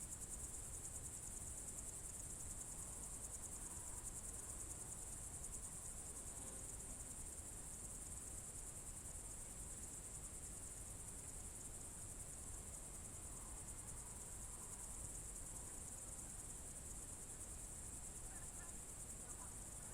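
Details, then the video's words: Crickets on a summer evening, June 2023, at Novye Buregi in Novgorod Oblast: a constant piercing high trill runs unchanged for the whole stretch, with faint soft sounds in the middle range and a low rumble. "Звуки природы , сверчки"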